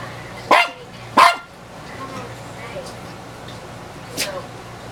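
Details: Elderly female dog, about 15 years old, barking at her own reflection in a mirror; two sharp, loud barks in quick succession, then a quiet pause and a third, softer bark near the end over low room hum.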